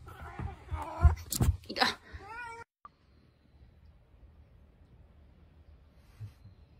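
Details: Domestic cat meowing indoors in a funny cat compilation: loud, wavering, drawn-out meows with a rising-falling pitch over the first two and a half seconds, mixed with bumps and rustling, then near silence.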